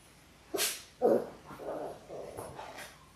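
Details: Six Labrador Retriever puppies in their sixth week, born January 18, 2022, filmed on a live puppy cam: a sharp bark, then a louder yip followed by a run of three or four softer, mid-pitched puppy barks and whines.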